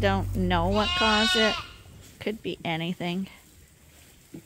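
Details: Bottle-fed lambs on a farm, still on their mothers but topped up twice a day, give wavering, quavering bleats in a short burst, then several brief clipped bleats after a pause.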